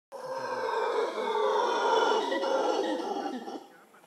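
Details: Howler monkeys howling in Manuel Antonio National Park, Costa Rica: a sustained, deep, rough roaring chorus with layered harmonics that swells quickly, holds for about three seconds, then fades out.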